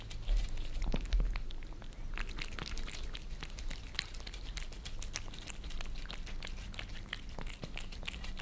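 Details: Two pet cats, Lissy the Maine Coon and Fritz the British Shorthair, lick creamy treats off a glass table indoors in Germany, heard from below: rapid wet clicking laps in a steady patter, with a low room hum.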